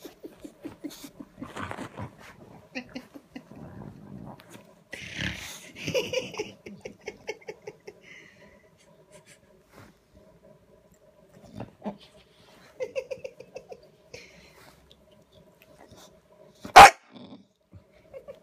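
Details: Bulldog sulking for attention at 7:30 on a Saturday morning, giving bursts of short pulsed grumbling huffs and breathy snorts separated by quiet gaps, with a sharp knock near the end.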